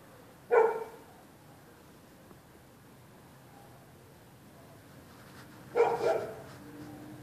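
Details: Dogs next door barking in the night at passers-by on the public sidewalk: one loud bark at the start, then a long quiet gap before a doubled bark near six seconds, low background hum throughout.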